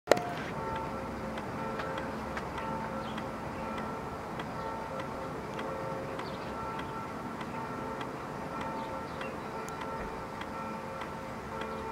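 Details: Steady tonal music with faint ticking over a low background hum; no animal calls stand out.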